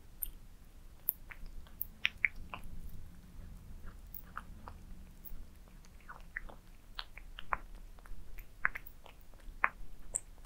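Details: Pet cats indoors eating towers of minced meat: a steady run of sharp, clicky bites and wet chewing, irregularly spaced and close up, with a soft low rumble underneath and no other clear sounds.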